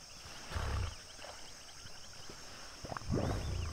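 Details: Common hippopotamus pod at sunset, Duba Plains in the Okavango Delta: two deep, rumbling grunting bursts with strong low resonance, each under a second, about two and a half seconds apart, over a steady high insect drone.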